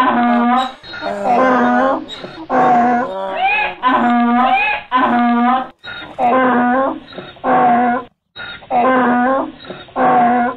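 A donkey gives a long bray of loud, rasping notes that swing between a high wheeze and a lower honk. Each note lasts under a second, with brief gasping pauses between them.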